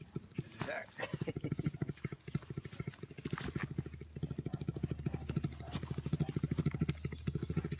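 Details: Orphaned bears wrestling together give a deep, rapid, motor-like purr of low pulses running almost without a break; the purring may come from another bear off camera.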